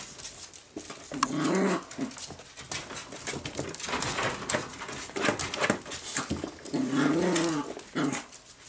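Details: Miniature Jack Russell terrier puppies playing with a new learning toy; two short, wavering, whiny whimpers rise and fall, one near the start and one near the end, between soft scuffling and patter.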